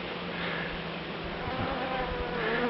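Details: Dark bees in a top-bar hive in September, brood on three combs, a soft even low hum throughout, with faint thin tones drifting over it near the end.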